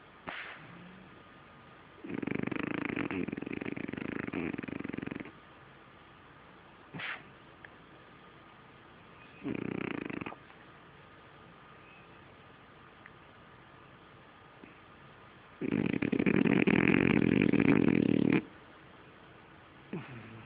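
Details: French Bulldog snoring in its sleep: loud buzzing, rattling snores of one to three seconds come irregularly, separated by quiet breathing gaps, with an occasional sharp click or snort between them.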